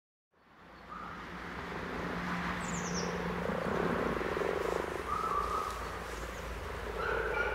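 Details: Common frog chorus: a continuous low, pulsed grumbling murmur, with a brief high bird chirp partway through.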